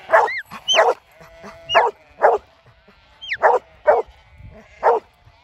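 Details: Huntaway working dog in the UK keeping sheep flowing while herding, barking loudly and steadily, about seven deep barks spaced roughly every half second to second, with high whistle-like human calls and faint sheep in the background.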